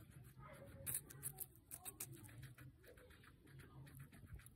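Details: Pancake the guinea pig munching a capsicum: rapid crisp crunches in quick runs during the first two seconds, then quieter chewing over a low background hum.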